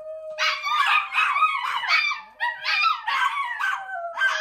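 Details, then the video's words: Chihuahuas singing along with a Miniature Pinscher: a steady high tone held throughout, overlaid by a chorus of wavering, yelping howls rising and falling in short bursts about every half second. "Chihuahuas Sing With Their New Min Pin Friend!"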